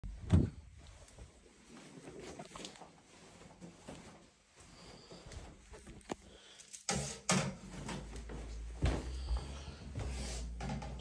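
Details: Quiet indoor room noises: clicks and knocks like a drawer or door being handled, a low hum, and a faint murmur of movement, with no clear animal call.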